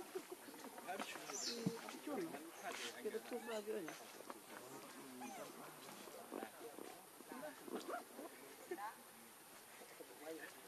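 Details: Baby monkey named Leo crying while begging its mother for milk, hungry; wavering, bending cries that rise and fall, given in irregular bursts over a steady background hiss, with human speech-like sounds mixed in.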